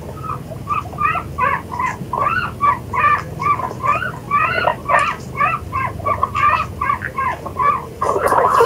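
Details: Guinea pig sounds: a steady series of short, mid-pitched chirping notes, each a quick double-inflected squeak repeated about twice a second, with a low hum underneath and a clatter at the end.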